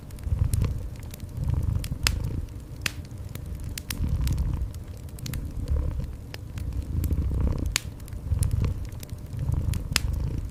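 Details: Low, rhythmic purring of a cat, each rumbling swell lasting a second or two before the next, blended with a steadily crackling, popping fireplace in a cozy indoor setting.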